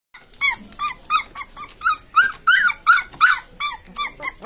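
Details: Newborn Labrador Retriever puppies squeaking in a rapid series of short, high, arched whines, about three per second, rising and falling in pitch, in a quiet setting.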